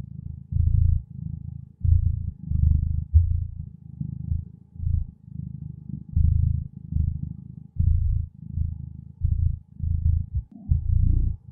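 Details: Gentle purring of a contented feline companion, a continuous deep rumble pulsing in regular swells close to one per second, steady throughout with a brief faint higher tone near the close.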